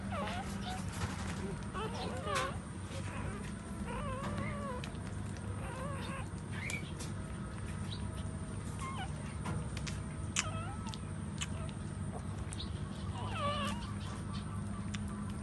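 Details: While a standing mother dog nurses her puppies, the young let out quavering whines and squeals in quick clusters, then quieter gaps, all against a droning low background.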